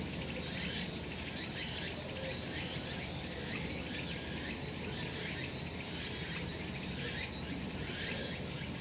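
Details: Cicadas calling in the sun on a mountain in summer, a continuous piercing buzz rising and falling in rhythmic surges roughly every second, with faint rapid chirps beneath and a soft, steady rural background.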